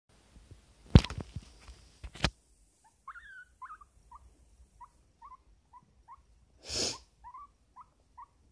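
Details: Pet guinea pig sitting on a person's lap, making a string of short, bright squeaking notes, each sliding upward, spaced about half a second apart after a few loud handling knocks and a rustle.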